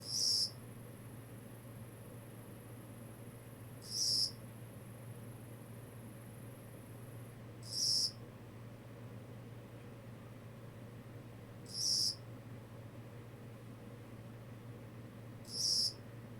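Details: Kogata cricket calling: short, high, bright chirps, each under half a second, spaced about every four seconds with steady regularity over a quiet background with a low hum.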